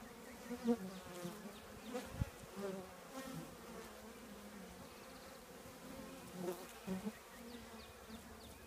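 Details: Honey bee colony living in an old trash can: a steady, low droning hum with layered overtones, broken by brief louder swells every second or two as single bees fly close past.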